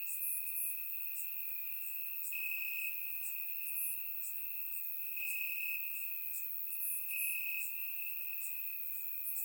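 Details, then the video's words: Crickets at night in Bulgarian summer grass, surround-microphone recording: continuous high buzzing trill punctuated by short sharp chirp bursts at irregular intervals, forming a dense insect chorus. "Cricket Sounds - Crickets Chirping at Night"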